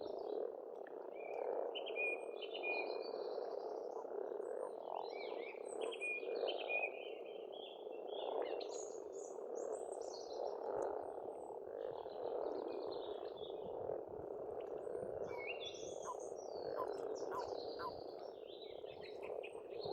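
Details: Spring frog chorus at a pond in Estonia, a dense continuous croaking mass filling the low-middle range, with bird song scattered above it: short whistles, trills and chirps throughout.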